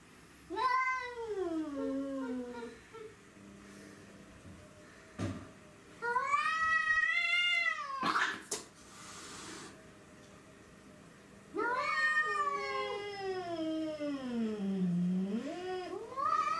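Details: Domestic cat attacking another cat indoors, giving three long, drawn-out yowls, each starting high, then wavering and sliding lower, separated by quiet gaps with a couple of sharp knocks.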